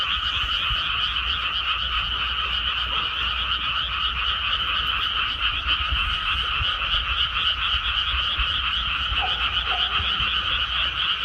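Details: In a rice paddy after planting, a large group of frogs croaks without pause, producing a steady, buzzing, fast-pulsed chorus with a light low rumble beneath.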